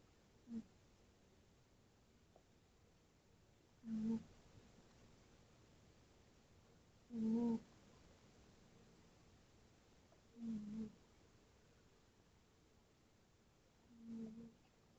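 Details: Tootsie, a tabby cat, snoring while asleep: five soft, low, breathy snores, each about half a second long, spaced roughly three to four seconds apart in a quiet indoor room.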